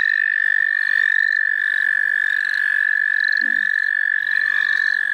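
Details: A continuous high-pitched frog chorus in the St. Olaf College Natural Lands, an even ringing trill held throughout, with soft repeated chirps above it and a brief low sound midway.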